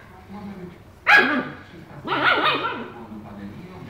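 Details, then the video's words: A husky named Tequila lets out two loud, rough, harmonic vocalizations: a sharp bark followed by a longer wavering yowl, with quiet human talk underneath. "Tequila HUSKY"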